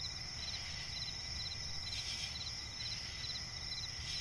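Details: Crickets in a night forest by a swamp, giving a continuous thin high-pitched buzz with brief rapid chirp groups every half second or so, low steady rumble underneath.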